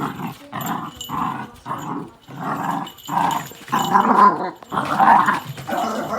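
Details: Pet Miniature Dachshund reacting to dogs heard on TV or outdoors, giving a steady series of rough growling bursts roughly once a second, building into louder harsh barks near the end.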